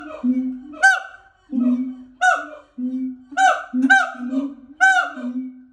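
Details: At a sanctuary, siamangs give deep, booming hums broken by loud, honking barks that rise sharply, repeated about every second.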